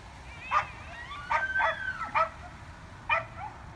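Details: Elk fighting on a street in Evergreen, Colorado, on October 19, 2018: short harmonic squeals and chirps with gliding whistled tones, several overlapping near the middle, then a lone burst after a pause, over steady low background noise.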